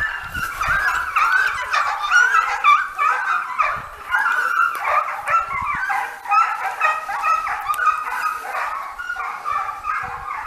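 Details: Segugio Italiano hounds, several dogs in training on hare; a dense chorus of high, overlapping yelping bays and whines, voices rising and falling with barely a pause across the whole stretch.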